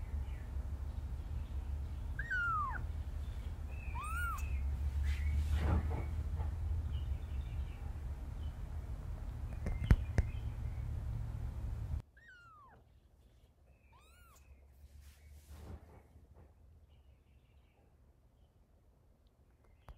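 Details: Domestic cat, a mother moving her kitten to safety, meowing in short arched calls: a pair close together early on, a few clicks and knocks, then after a sudden drop to near silence two more quiet meows.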